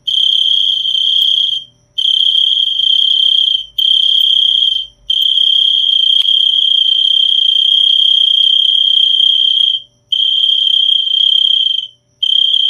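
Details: A cricket keeps up a continuous high trill, buzzing in long runs of one to five seconds broken by short silences, with a faint low rumble beneath.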